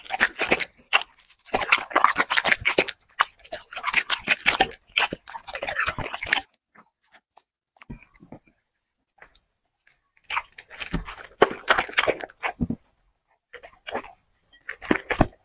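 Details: A dog eating chicken and vegetables in an ASMR mukbang. Bursts of wet crunching and chewing last a few seconds each, with a quiet gap near the middle before the chewing resumes. The sound is close and indoors.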